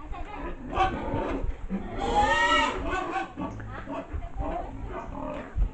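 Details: Pig (Sus scrofa domesticus): an unwilling sow squeals in high, strained bursts as a boar chases her around a sunny pig pen in the Philippines to mate, with people talking nearby.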